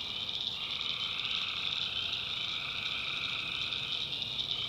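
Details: Nighttime tree frog chorus in a North Carolina backwoods swamp, countless voices merging into an even, shrill trilling drone at high pitch, steady from start to end.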